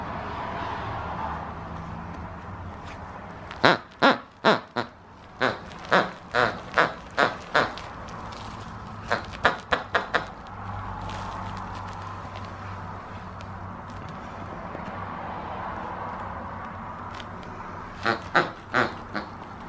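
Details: A Dachshund puppy playing with a cuddly toy gives bursts of short, sharp yaps, several in quick succession, then pauses.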